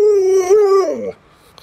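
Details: Alaskan Malamute Luoluo indoors reacting to its owner lying sick in bed: a steady, clear, tonal howl held for about a second, rising slightly midway, then sliding down and breaking off into quiet.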